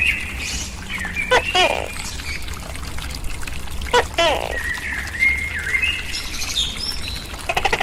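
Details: Captive tokay gecko, kept and fed crickets, gives two paired calls, each a sharp click followed by a lower harmonic croak, about three seconds apart, while wild birds whistle thin rising notes in the background.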